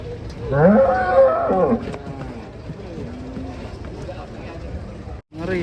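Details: Cattle being unloaded from a truck: one loud, drawn-out harmonic moo rising then holding steady for over a second, followed by quieter lowing and background clatter.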